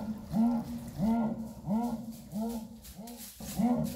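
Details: Jaguar roaring: a steady series of six low, hoarse, arching grunts, about one every 0.7 seconds, each with a rising-then-falling contour and faint overtones, against a quiet background.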